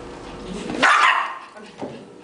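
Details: A Yorkshire terrier kept as a pet, playing with a ball with its family, gives one sharp, high bark followed by a softer short yelp.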